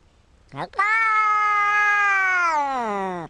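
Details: Domestic cat giving one long drawn-out meow, steady and tonal with rich harmonics, holding level for about two seconds before sliding down at the end; a short yelp-like onset comes first.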